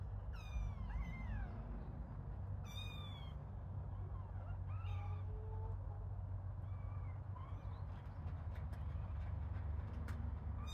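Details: Playing kittens give thin, high mews, some bending sharply upward, in scattered bursts with short pauses. A constant low rumble runs underneath.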